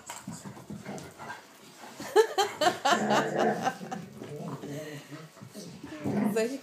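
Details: Vizslas Wanda (3) and Schröder (8) from Leipzig wrestle and bite in play inside their living room; a burst of throaty growling in the middle, mixed with scuffling and a person's voice.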